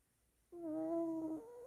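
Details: Sleeping pet dog snoring in the morning and rousing its owner; a single whistled, nasal snore begins abruptly, dips slightly in pitch, then rises again as it continues.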